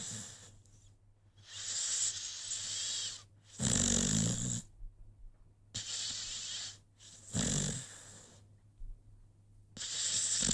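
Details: Sleeping American Pit Bull Terrier, Rocky, snores in a slow cycle; harsh breathy rasps with a low rumble come roughly every two seconds, alternating with quiet pauses.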